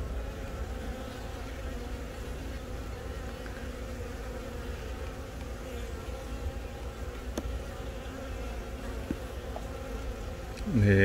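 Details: Worker honey bees surround a young egg-laying queen, hatched from the first natural swarm of the year, at Baegam, Yongin, on April 20, filmed with a Galaxy Note10. A constant low-pitched hive hum with faint ticks, and a voice breaking in at the close.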